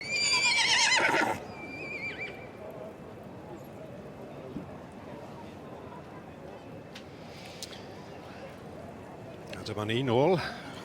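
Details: Welsh Cob, a two-year-old colt, gives a loud, shrill whinny with a shaky, wavering pitch in the first second. A long quiet stretch follows, then brief wavering voice-like sounds near the end.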